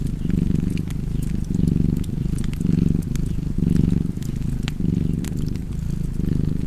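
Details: Purring cat by a crackling fireplace: a deep, even vibrating drone rising and falling in breath-length surges, steady across the whole stretch, dotted with quick wood pops.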